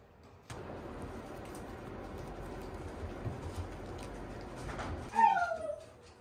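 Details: Standard Shiba Inu puppies play-fighting, not mame-shiba: steady scuffling and rustling throughout, then one short, high, whining yelp that slides downward near the end, the loudest moment.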